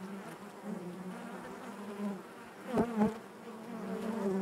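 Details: Bees buzzing inside their hive: a steady low hum with stacked overtones, rising and falling slightly, broken by two sharp knocks near the three-second mark.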